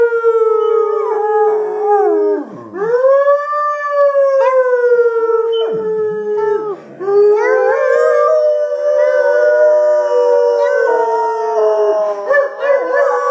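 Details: Labrador Retriever singing along to loud music, holding long, wavering, tonal howls that slide down and rise again. Brief dips break the howls, and the voice climbs into higher, quavering notes toward the end.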